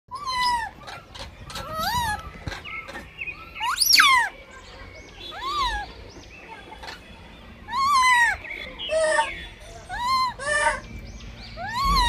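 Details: Blind baby monkey fighting for food: repeated high, arching squeals and shrieks that rise and fall sharply, coming in bursts every few seconds, with rustling and handling noises in between.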